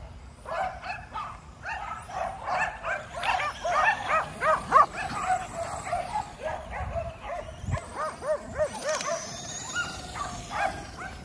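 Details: Five Kerry Blue Terriers exercising at home against a remote-control car give rapid, overlapping high yelping barks, several per second, in excited bursts that run almost continuously with brief dips.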